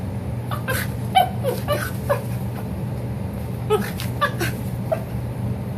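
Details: Bruno, a pet dog, making strange monkey-like noises while boxing in play with a person: short, high yips and squeaky whimpers in irregular bursts, about a dozen, over a steady low hum.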